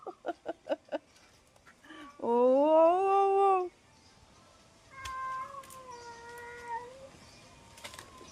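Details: Domestic cats: a loud, drawn-out meow lasting about a second and a half, rising then holding steady, followed by a softer, falling meow. A quick run of tapping knocks comes first, and quiet voices can be heard faintly.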